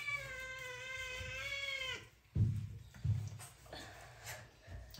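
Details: Scared kitten enduring a bath from an adult and child, a sustained wavering meow lasting about two seconds, then splashing water, thumps and a woman speaking Hindi.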